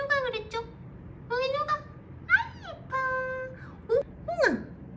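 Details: Weak kittens found clinging to each other, their small lives fading; a series of high, harmonic meows, some rising then dropping sharply, spaced with short pauses over a quiet indoor background hum.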